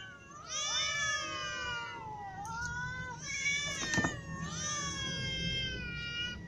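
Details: Hungry cats of all ages, a ginger cat among them, meowing; three long drawn-out harmonic meows, each swelling then sliding down in pitch, with a brief sharp knock between the second and third.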